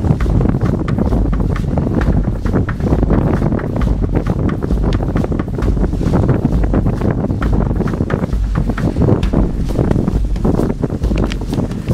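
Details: Heavy wind buffets the microphone, with a steady roar and rhythmic crunching from a dog sledge run across snow near Riisitunturi, Finland, in March.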